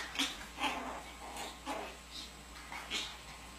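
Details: Pomeranian from a family of Pomeranians gives a string of short, high yips, about six of them, spaced under a second apart, over a quiet background.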